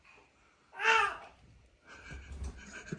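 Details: A baby babbles and laughs indoors in a small room, with a loud burst of voice and then quieter chatter and breathing. No animal sound is heard.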